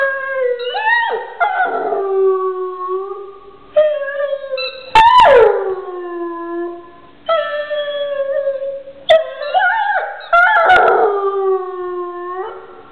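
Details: Pet dog howling in long, tonal, wavering notes, sliding up then drooping down, several separate howls broken by short gaps and a few sharp clicks, in a quiet indoor setting.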